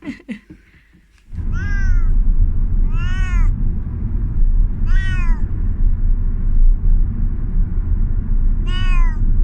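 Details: Thai Korat cat, 14 years old, indoors arriving at a vet visit; after a brief clatter, four loud arched meows, each rising then falling, spaced about two seconds apart over a low steady rumble.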